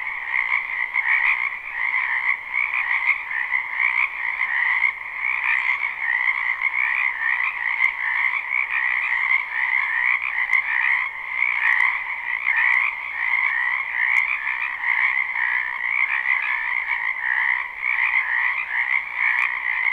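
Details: Croaking frogs gathered in a spring wetland near a home, recorded live without looping. Twenty seconds of seamless, rapidly pulsing chorus with gentle swells in loudness and occasional brief ticks.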